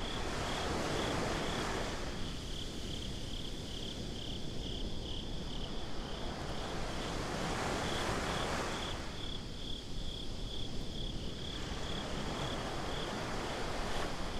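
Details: Crickets on a beach at night, binaurally recorded, produce a rapid high pulsed chirping from start to finish while waves break and recede in broad washes of noise.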